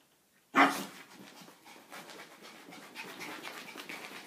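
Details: A female dog playing with her reflection for a long spell gives one sharp, loud bark, then soft breathy panting and light scuffling noises follow.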